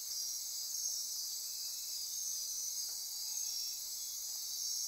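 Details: Midnight insect chorus in Costa Rica rainforest near Corcovado National Park on the Osa Peninsula: dense, continuous high-pitched shimmering buzz and trilling layers, steady throughout, with faint short whistled tones overlaid.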